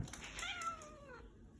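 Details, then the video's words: Pet cat indoors greeting its owner on arriving home; a drawn-out harmonic meow that rises then slowly falls over about a second, with the owner saying hello before and after. "My Talking Cat Shadow greeting me when I get home with a hello"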